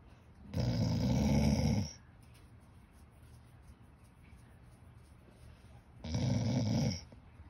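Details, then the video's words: English Springer Spaniel named Birdie snorting indoors: two loud, rough, low snorting bursts, the first about one and a half seconds long, the second about one second, separated by several seconds of quiet breathing. "Springer spaniel purring"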